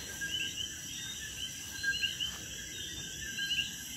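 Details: A night chorus of common coquis near a patio in Puerto Rico, after dinner, with frogs hidden in crevices and bromeliads; short high upswept notes rise over a steady ringing hum.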